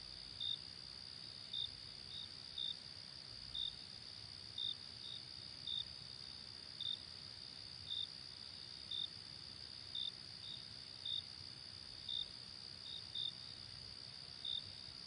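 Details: Crickets chirping by day: an unbroken shrill high drone with brief, sharp chirps recurring roughly every second, a few coming in quick pairs, and a faint low hum beneath.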